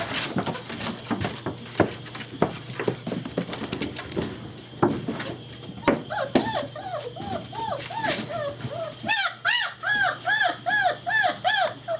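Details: Indoor play among German Shepherd puppies of Vom Barron's Pride, 2-5-2012: after thumps and a woman talking, a steady run of short arched yips repeats roughly twice a second for the last six seconds.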